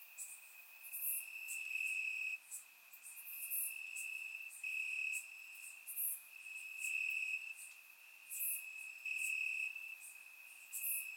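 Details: Grass crickets chirp through a warm summer night in Bulgaria, recorded in surround sound: an unbroken high ringing tone overlaid with pulsing bursts every second or so and bright clicky accents up high.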